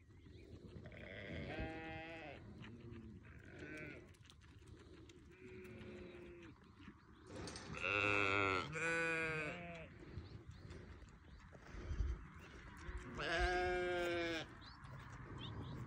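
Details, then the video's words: Newborn lambs give quavering, tremulous bleats, a few soft low ones early, then loud, high, shaky cries around the middle and again near the end, with quieter murmurs and background noise between. "Newborn baby sheep so beautiful"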